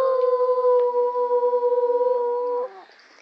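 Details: A schnauzer "sings" along as a person sings the children's song "Los pollitos dicen". It holds a long, steady, tuneful howl nearly level for over two seconds, wavering slightly, then breaking off abruptly.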